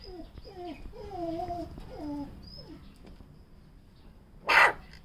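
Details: A cute puppy gives a run of short, wavering whines and yelps sliding between low and middle pitch, then one sharp, noisy bark near the end, over a faint steady hum.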